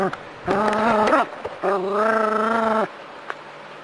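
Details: Two sustained, steady-pitched moaning howls from a Jack Russell Terrier playing with water from a garden hose, the first dipping at its end, the second held over a second, with faint hose noise around them.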